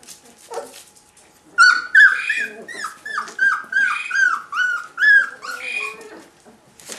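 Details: Four-week-old Rhodesian Ridgeback puppies in a litter, indoors, giving a run of high, arched yelping whimpers, about two a second, clustered tightly with rising-falling pitch, after a quieter start with faint rustling.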